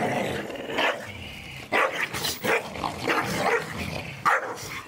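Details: Staffordshire Bull Terriers at play in a garden, destroying a Christmas gift ball; a few sharp barks and growly yelps stand out over steady background rumbling and scuffling.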